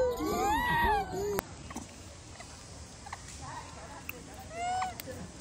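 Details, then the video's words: A baby wild macaque, bullied by its mother, cries loudly in a wavering, arching wail with rich overtones for over a second, followed by quieter scattered squeaks over background hiss. "The baby monkey was bullied by the mother monkey and cried loudly"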